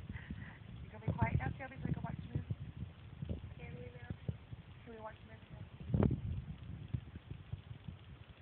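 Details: Jealous dog making strange talking noises while its owners pet the cat, voicing disapproval; a run of short groaning, whining bursts that rise and fall in pitch, some drawn out, others clipped, over a low rumbling background.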